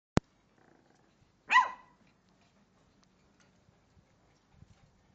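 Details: Shih Tzu puppy giving a single short, sharp yap that drops quickly in pitch, preceded by a click and followed by near silence with faint low rustling.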